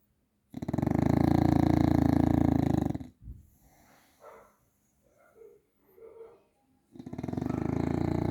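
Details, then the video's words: Grizzly the Bulldog snoring: two long, loud, rattling low snores made of rapid pulses about four per second, separated by a quieter stretch of soft breathy murmurs and brief faint voice-like sounds. "Snoring Bulldog"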